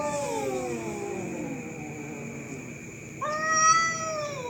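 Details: Night-time fight between cats: a drawn-out yowl sinks and fades, followed after a short pause by a sudden loud, strained howl that swells and wavers, with a constant shrill background whine.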